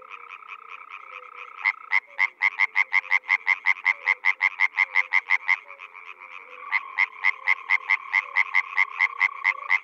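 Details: Spring frog chorus from the Czech Republic: a loud caller gives a fast series of sharp, clacking pulses, about three per second, pauses, then resumes, over a softer continuous pulsed drone of other frogs.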